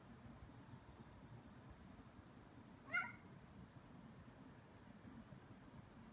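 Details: Ragdoll cat Aki, about two years old, indoors playing with and pestering a bug; a single short harmonic meow rises near the three-second mark over a low steady room hum.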